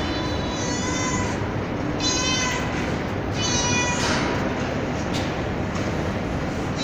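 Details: Kittens meowing on a terrace at night beside a fed street cat: three fast, bright meows in quick succession, then short clicks and knocks, with continuous background hiss.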